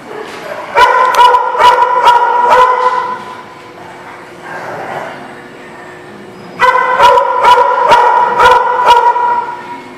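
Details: Dog barking in a lot: a burst of about six sharp, evenly spaced barks, a quieter pause with faint sounds, then another run of about six loud barks; a person calls a name afterwards.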